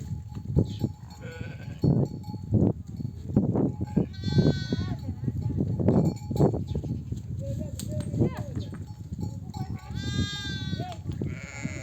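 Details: Nomadic flock returning from pasture, where ewes bleat for their lambs to suckle; two quavering bleats rise above a steady low bustle of animals, people talking and occasional clinks.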